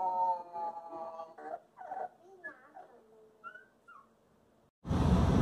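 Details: Young wolfdog named Covington, between five weeks and four months old, gives a wavering, tonal howl that breaks into shorter rising and falling whines. It ends abruptly in a burst of loud rushing noise.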